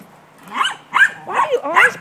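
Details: Gracie, a pet dog, playing ball, gives four short, loud yelping barks in quick succession, each with a wavering, whine-like pitch that bends upward at the end, over a quiet background.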